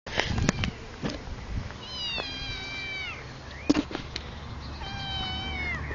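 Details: Neighbour's domestic cat talking to people: a series of drawn-out meows, some long and level then falling, others short, with a sharp click and faint background hum.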